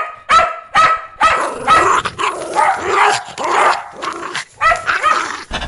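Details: Aggressive domestic dog guarding its owner, barking loudly and fast: rapid harsh barks, roughly two per second, some running together into a continuous snarling volley.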